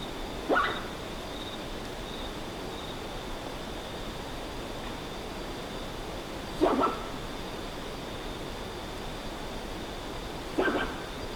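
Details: Common ringtail possum recorded on location, giving typical soft wheezy, squeaking calls: three short, breathy squeaks spaced several seconds apart over a quiet background with a steady faint high tone.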